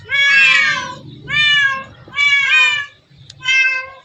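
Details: Hundreds of cats share one cat paradise; here a cat gives four long, clear meows, the first loudest and most drawn-out, spaced about a second apart over a low indoor rumble.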